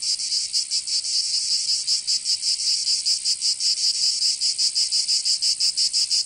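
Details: Cicadas singing in summer in Provence, southern France: a dense, loud, high-pitched buzz that throbs rhythmically about four times a second and holds steady without a break. No other sounds stand out.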